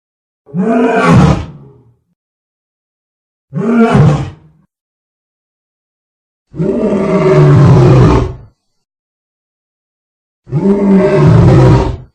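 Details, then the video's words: Lion roars in four separate loud bursts, each deep and harmonic with a low growling base, about one to two seconds long, separated by clean silences. "Lion sound -roaring compilation"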